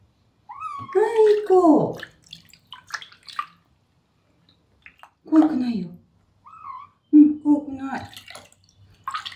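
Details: Rescued kitten Terra, a male, complains with meows during his first bath: drawn-out, arching cries that slide downward, several in a row, mixed with a woman's soothing voice and splashing water indoors.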